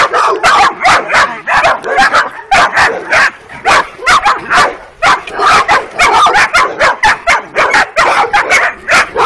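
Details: Working-type Kuvasz puppies, 12 weeks old, on their first street walk, two females of the litter present: dense, rapid high-pitched puppy barks and yips overlapping almost continuously, several pups calling at once.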